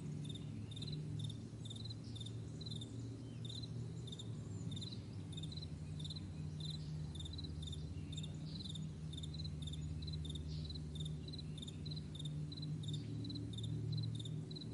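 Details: Crickets calling in the morning across a vast meadow: thin, high pulsed chirps in a regular chain, partly under a heavy low rumble that swells slightly near the end.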